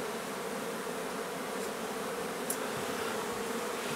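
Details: Honey bees in a nuisance hive being removed from an old home under renovation in Donna, Texas; a dense, steady droning hum holds one low pitch throughout, with a couple of faint clicks.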